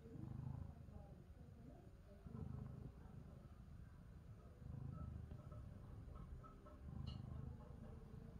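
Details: Domestic cat seeking affection: a soft, low rumbling sound that swells in slow pulses about every two and a half seconds, like steady breaths, over a quiet background with a faint hiss.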